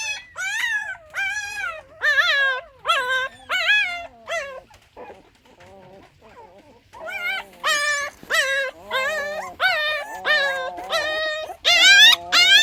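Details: Newborn puppies from a litter of six cry in high, wavering whimpers, each a rising then falling wail, repeated about every half second; the cries pause briefly midway, then return louder and overlapping, several pups calling at once.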